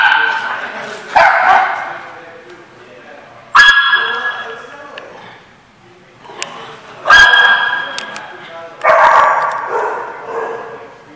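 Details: Dog barking at The Barking Lot, recorded 7/17/15: four loud, sharp barks spaced about two to three seconds apart, each trailing off with a ringing echo between them.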